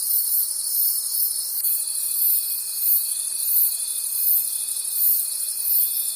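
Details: Night-time forest crickets calling together, a high shimmering wall of trilling that swells and fades roughly three times a second, with a faint sustained whistle-like tone entering partway through.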